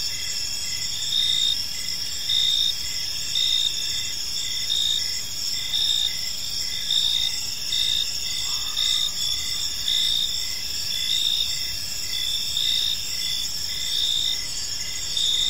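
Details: Evening park ambience of chirping crickets, a dense high-pitched shimmer layered with short pulsed chirps repeating about once a second, several insects calling together; a faint brief lower tone near the middle.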